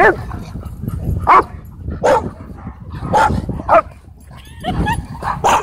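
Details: Dogs playing at a dog park, a burst of short barks and yips scattered through the clip amid a rumbling outdoor background.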